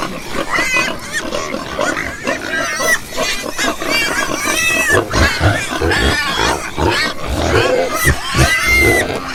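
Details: A group of pigs gives short nasal oinks and grunts, many broken by sharp rising squeals, in a busy and noisy pen.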